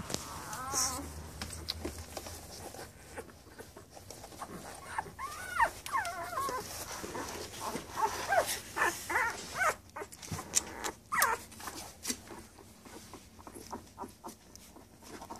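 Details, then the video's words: Ten-day-old Labrador Retriever puppies in Uruguay, eyes about to open, nursing and sleeping; a litter of high, wavering whimpers and squeaks rising and falling in short overlapping bursts, with soft rustling between cries. "Cachorros Labradores Uruguay"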